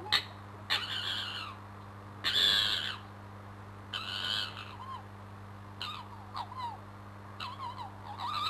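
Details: Crooked-Tail fox squaring up in a scrap below a bedroom window: rough screeching bursts alternate with short, bending yelps and chattering notes, irregularly spaced, over a faint steady hum.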